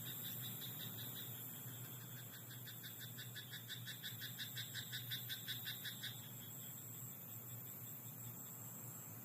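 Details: Rice paddy frog at night: a rapid series of rattling, pulsed croaks lasting around six seconds, then only a steady background hiss and low drone.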